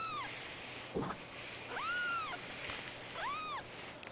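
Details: Cats from a cattery, born 03/12/2011, giving a few high, arched meows over a steady background hiss, with a brief thump near the start.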